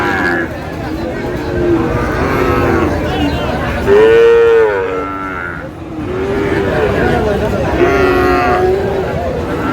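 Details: Sahiwal bull calf at a crowded Madaripur cattle market on 3 April: several mid-pitched, harmonic moos, the loudest a rising-falling call near the middle, over steady crowd chatter and bargaining voices.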